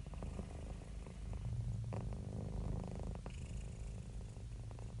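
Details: Happy, relaxed domestic cat purring: a steady low rumbling drone made of rapid pulses, swelling and easing with each breath, with soft breathy hiss between phases.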